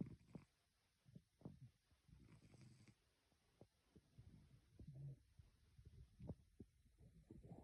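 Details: A male cat snoring, said to sound like a tiny man; soft low rumbling breaths in irregular bursts, each swelling and fading, with faint clicks between.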